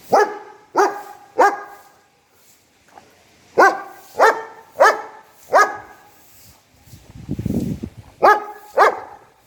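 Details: German Shepherd barking at its owner, loud deep single barks in groups of two or three with short pauses, about a dozen in all, and a low rumbling noise near the end.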